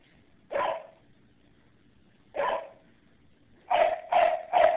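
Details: Dogs barking: two single sharp, mid-pitched barks spaced about two seconds apart, then a quick run of three barks in close succession, against a quiet background.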